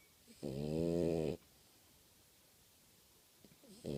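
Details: Sleeping French Bulldog snoring very loudly: one harsh, buzzy snore lasting about a second, a quiet pause, then the next rasping snore beginning at the end.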